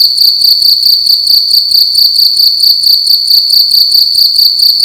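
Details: Cricket indoors at night making a loud, shrill chirp, rapid pulses grouped into short bursts roughly four per second, steady and unbroken throughout, high-pitched with ringing overtones.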